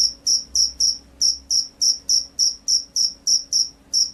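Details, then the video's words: Steady chirping of a field cricket in full, vigorous song: bright, high-pitched pulses about three or four per second, evenly spaced with tiny gaps, over a quiet background. "SUARA JANGKRIK SAWAH"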